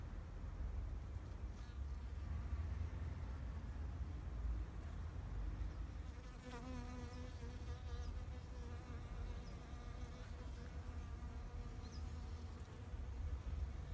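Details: Bees in a spring flower garden in Japan in 2021 buzz steadily as they pass close by, a droning hum with a low rumble beneath.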